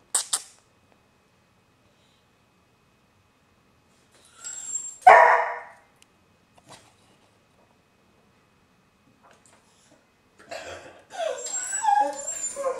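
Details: Pet dog at home with its owner: after silence, one sharp, loud bark, a few faint clicks, then higher whining vocal sounds near the end.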